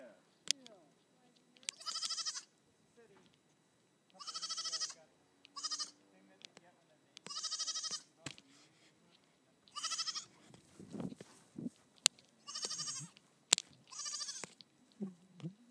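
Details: Baby Nigerian Dwarf goat Chip, out playing on a hill alongside Melvin, bleats over and over in strong nasal bursts about every one to two seconds, with quiet voices and taps between calls.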